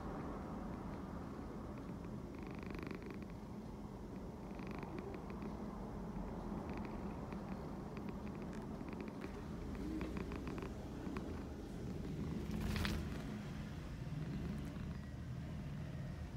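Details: Loudly purring cat: a continuous deep, buzzing rumble that pulses gently with each breath, holding steady throughout, with scattered light clicks and one sharp rustle near the end.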